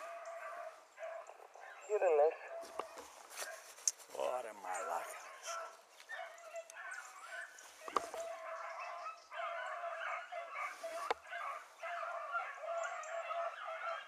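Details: Hunting beagles from a selectively bred line, including Ribo and Mira, chasing a hare across water. Two loud wavering yelps stand out early, then a steady chorus of baying follows, mixed with voices and brief knocks.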